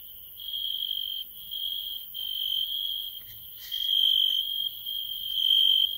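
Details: Field cricket, named Hungary's insect of the year 2016, singing a steady high pure trill that rises and falls in loudness, with another faint high insect tone above and brief soft noises midway.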